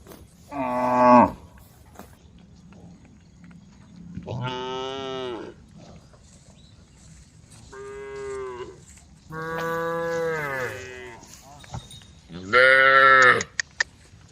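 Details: Herd of tame cows out on the road, females calling the group together; five drawn-out moos, some falling in pitch, the first and last loudest, separated by pauses of a second or two.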